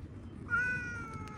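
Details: Domestic cat giving a single steady, flat meow just under a second long. It comes right after a woman asks in Hindi whether it wants food, over a faint low background hum.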